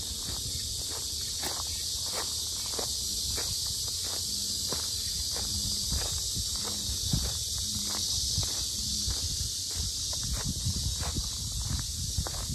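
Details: Cicadas sounding very loudly at the Sinjeongho Lake lotus complex in Asan: a continuous bright shrill hiss, while footsteps crunch steadily and a few low hums pass beneath.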